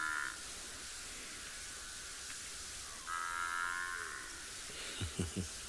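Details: On a chilly morning safari in a South African game reserve on 10 July 2021, a large African buffalo herd gives drawn-out nasal bellows amid a steady hum, like calves complaining for milk.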